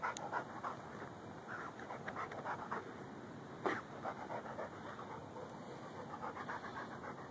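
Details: Ridgeback and Bull Mastiff mix dog Lou after a gopher hunt in a yard, Samsung Galaxy S3 recording; fast, uneven panting breaths around three per second, with one sharp louder snort midway.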